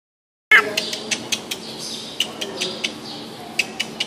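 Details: Meerkat producing a rapid run of sharp, clicking chirps, about four or five per second, opening with a short squeaky note and with faint high squeaks between the clicks.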